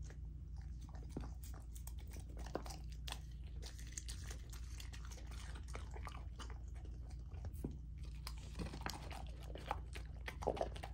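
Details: Lilo, a female Golden Retriever puppy on a raw dog food diet, crunches through a raw dinner of chicken drumstick, thigh and sockeye salmon indoors; dense irregular bites and chewing crackle over a steady low hum.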